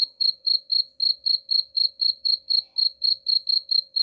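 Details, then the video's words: Cricket chirping, offered as a sound to drive away rats: steady high-pitched pulsed chirps repeating about four times per second, evenly spaced, with a faint steady low hum underneath. "suara jangkrik pengusir tikus"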